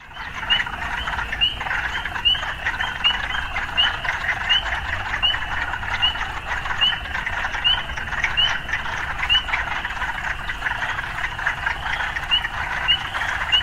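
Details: Frogs in an urban setting calling as a dense chorus, short upswept notes repeated about once a second over a steady trilling hum, with low rumble of city life beneath.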